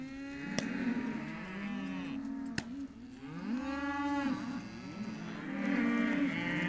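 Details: Hereford calves, males and females, at a sale lot, mooing in overlapping drawn-out calls with rich stacked harmonics, several animals calling at once, two sharp clicks in the first three seconds.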